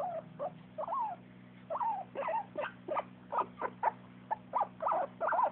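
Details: Jack-jack, a dog making happy sounds, gives short whiny squeaks, some sliding up then down, at first spaced apart and then quickening into a rapid string of yips over a faint background hum.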